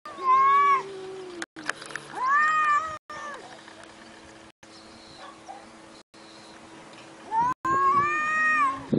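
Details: Pet cat meowing repeatedly: a short call opens, a second follows a couple of seconds later, and a longer bent, wavering meow closes. All are clearly harmonic, with a steady low hum behind.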